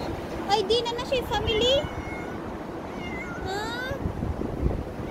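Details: Street cats in November 2023 meowing in a quick cluster of short, wavering, high cries during the first two seconds, followed by a couple of longer rising meows, with a person speaking and low street noise underneath.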